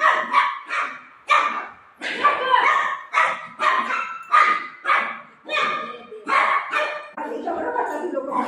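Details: Playful golden retriever barking at its owner: a steady run of sharp, ringing yips and barks, roughly one every half second to second, ending in softer, lower grumbling sounds.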